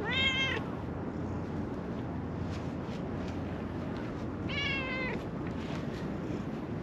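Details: Calico stray cat on a Japanese mountaintop, friendly and following someone, utters two short, rich meows about four seconds apart. Quiet outdoor hiss fills the gaps between calls.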